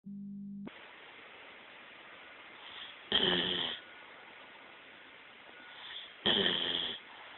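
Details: A female bloodhound snores in slow, rasping breaths, each under a second long and about three seconds apart.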